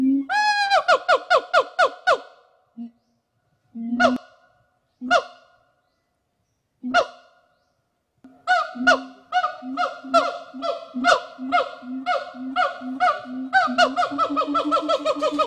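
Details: Rescued gibbons rehabilitating in a WFFT forest in Thailand start with quick rising whoops, fall to a few isolated notes with silence, then build again into a dense, accelerating series of loud whooping calls.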